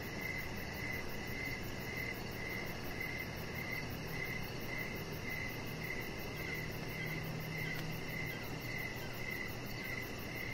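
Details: Crickets in the evening, recorded outdoors beside a chihuahua puppy lying on a deck under decoration lights; short high chirps repeat about twice a second over a steady hiss, with a faint low hum underneath.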